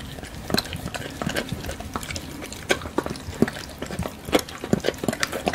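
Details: Doberman eating a pile of bacon, recorded close up for eating sounds: wet, clicking chews and smacks in irregular bursts, a few sharper crunches near the end, with quiet background hiss.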